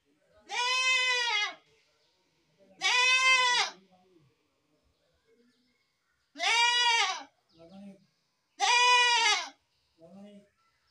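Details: Goat repeatedly bleating, four loud, arched, harmonic cries about a second each, spaced around two to three seconds apart, with short quieter vocal sounds following the later calls.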